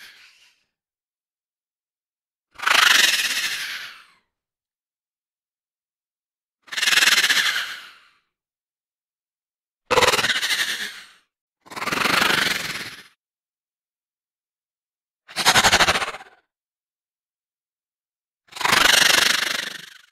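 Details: Moaning horse, six harsh grating bursts of one to one and a half seconds, spaced unevenly about two to four seconds apart, with dead silence between them.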